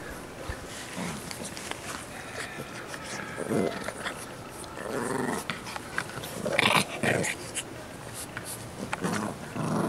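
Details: English Bulldog puppies growling indoors: rough, low growls come in short bursts near the fourth and seventh seconds over a noisy, scuffling background, with faint voices.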